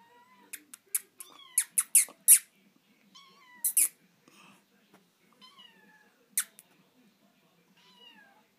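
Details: Female Savannah kitten in Montana, indoors: several thin, high, bending mews and squeaks scattered over eight seconds, mixed with sharp clicks and tapping noises.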